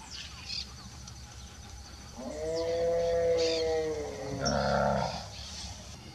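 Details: Nelore cows with calves, all alert as a person passes: one long, drawn-out, harmonic low moo lasting about two seconds, followed by a rougher, shorter bellow, with faint background noise.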